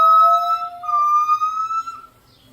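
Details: Captive gibbons at the Los Angeles Zoo, their voices carrying across the grounds: two clear overlapping whistled tones, a lower one ending after a second and a higher one held steady for about two seconds before fading.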